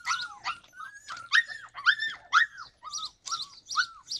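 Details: Yakutian Laika in July 2020 producing repeated arched yelping whines, roughly two per second, some strained and harsh, others cleaner and falling in pitch.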